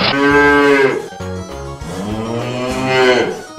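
A cow gives two long, drawn-out moos, steady in pitch and then fading, over soft background music.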